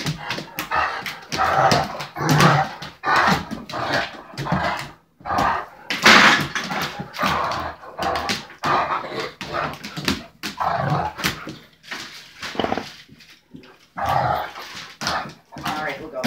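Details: Two big dogs, a six-month-old Irish Wolfhound and a five-year-old Anatolian Shepherd, wrestling in a kitchen; rough growls, grumbles and short barks come in irregular bursts, with scuffling between.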